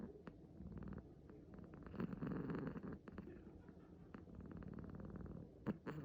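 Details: Sleeping six-month-old male kitten, born 9 August 2020, with a low grainy rumble of snoring or purring that rises slightly in the middle, plus a few faint clicks and rustles.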